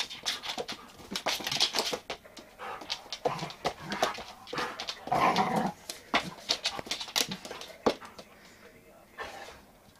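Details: A one-year-old female Giant Schnauzer indoors gives short, broken whimpers and panting huffs in irregular bursts, with brief human speech in between.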